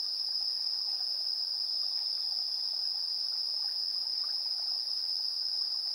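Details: An evening chorus of insects at 7:04 PM, 3 September 2022, taped with a TASCAM Portacapture X8's built-in stereo mics: one steady piercing ringing note that never pauses, a thin higher whine over it, and faint lower ticking calls.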